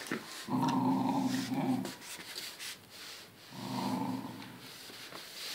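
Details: English Cocker Spaniel female guarding her food in a bad mood: two low, rumbling growls of about one and a half seconds each, roughly three seconds apart, with faint indoor background noise.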